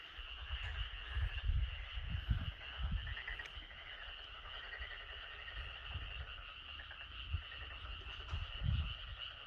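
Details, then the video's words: Loud chorus of frogs and maengkkongi (boreal digging frogs) recorded during nature observation, a dense, steady high trilling wall of calls running throughout, with deep low thumps and rumbles pulsing irregularly beneath. "오랜만에 우렁찬 개구리 맹꽁이 합창 듣기 좋네요"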